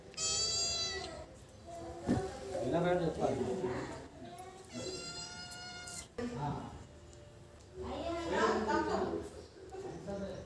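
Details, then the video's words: Tabby cat and black cat, rivals that dislike each other, trade drawn-out high yowls lasting about a second, answered by lower murmuring sounds and speech-like chatter in a small indoor room. "Black Cat Vs Tabby Cat"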